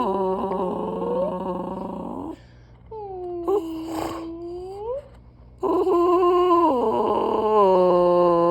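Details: A dog gives drawn-out, moaning whines that slide up and down in pitch, like strange yodelling talk.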